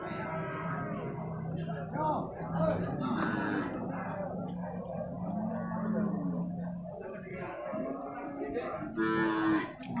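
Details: Male water buffalo calves at an animal market in Purwakarta, Indonesia: a low, drawn-out moo holds steady for several seconds amid traders' chatter and background music.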